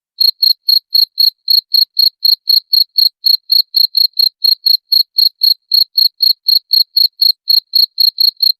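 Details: Cricket chirping, meant for repelling rats: clean, shrill, evenly spaced pulsed chirps about four per second, steady and unbroken for the whole stretch, with no other sounds.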